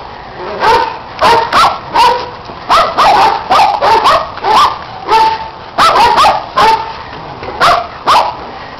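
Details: Dogs playing, running and chasing a red Kong toy while a neighbouring dog joins in: sharp, excited barks fired in quick bursts, around eighteen over nine seconds, some doubled, over a faint background hiss.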